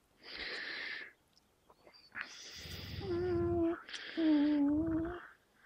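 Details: Two dogs, Gerundio the American Staffordshire Terrier and Baloo the Beagle, locked in a standoff over a fabric toy, teeth gripping it. Breathy huffing bursts come first, then two sustained, steady tonal whines of about a second each.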